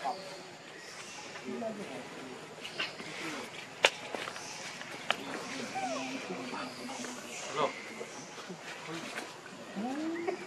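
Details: Hungry baby monkey Leo cries to his mother, begging for milk: scattered arching, whistled coos that rise and fall, one clear upward sweep near the end, over steady rustling, sharp clicks and background chatter.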